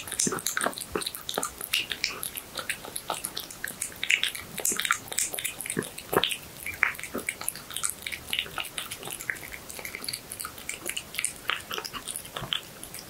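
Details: Cat eating horse meat indoors in a small room, close-up: dense wet clicking bites and smacking chews, rapid irregular crackles spread across the clip with brief louder crunches, no voices or other animals.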